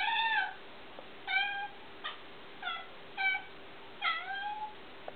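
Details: Penny, an indoor house cat upset by a small bug on the wall, gives six bright, bird-like chirps, each a short rising-then-falling note about a second apart, over a low constant hum.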